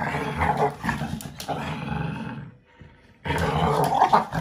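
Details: Five-month-old American Bully puppy playing with a five-year-old American Staffordshire Terrier, growling as it takes the toy while the adult gives in. Rough, low rumbling growls run on, with a short quiet gap midway before resuming louder.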